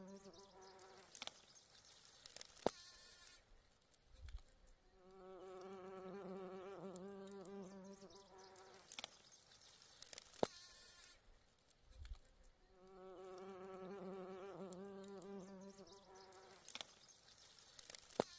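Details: Bee among flowers, its low, steady droning buzz rising and fading in two long passes of about three seconds each, with faint wavering in pitch; scattered sharp clicks and thumps between the buzzing passes.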